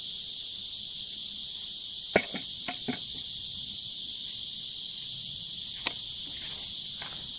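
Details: Chorus of cicadas by a river on a hot summer day, 23 July 2015; a loud unbroken high-pitched buzz holds throughout, broken only by a few sharp clicks or knocks in the foreground.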